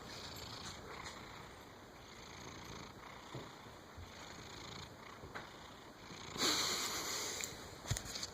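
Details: Henri, a domestic cat, snores while sleeping soundly: a soft, breathy, rasping texture that runs steadily through the clip, with a brief louder rustling burst near the end.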